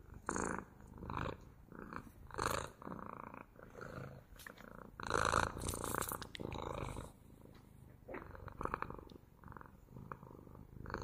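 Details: Close purring of a house cat, rhythmic rumbling bursts roughly every second as it breathes in and out, some louder rasping pulses mid-way; no other animals or voices.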